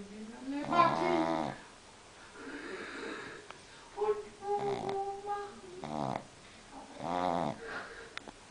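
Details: A sleeping pug in Munich snores in rough, rattling bursts, with a thin nasal whistle between breaths.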